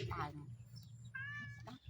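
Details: A family of cats, including kittens, out playing together: a short, clear meow rises briefly, while people talk nearby and a low background hum continues.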